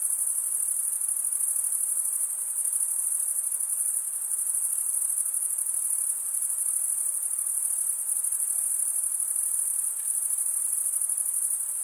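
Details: An unbroken shrill trill of stridulating male crickets rubbing wing against toothed wing, steady and very high, with slight rhythmic swells in loudness and a soft hiss in the background.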